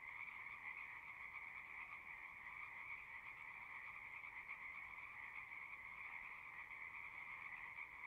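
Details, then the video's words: Many frogs singing together in a dense, unbroken chorus: a steady, shimmering trill in two bands, high and mid-pitched, holding without pause for the whole stretch, with no other sounds. "One hour of singing frogs."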